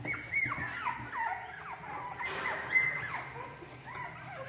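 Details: Female English Cocker Spaniel puppies from a breeder in Spain, for delivery in August 2022, give soft high whimpers and squeaky whines that rise and fall, several overlapping, with a steady low hum behind.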